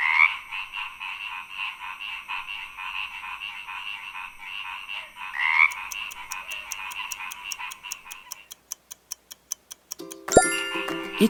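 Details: Frog chorus of fast, rhythmic pulsed croaks for about eight seconds, then regular ticking clicks and a brief burst of other noise at the end.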